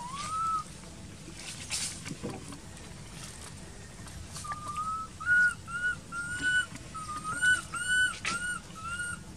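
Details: Baby monkey crying in an archaeological park, its mother not caring for it; short rising whistled cries, some in quick runs of several, over a noisy background with scattered clicks and rustling.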